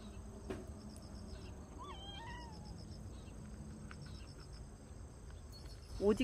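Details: Noran, a yellow stray cat visiting a yard to eat while being offered a Churu treat, utters a soft wavering meow that dips and rises over about a second. Crickets chirp steadily, and a louder thump comes near the end.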